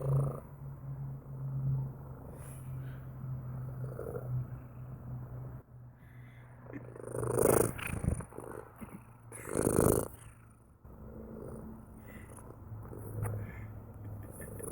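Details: Low rumbling purr from a cat, rhythmic and continuous, with two strong breathy bursts midway and steady purring resuming afterward.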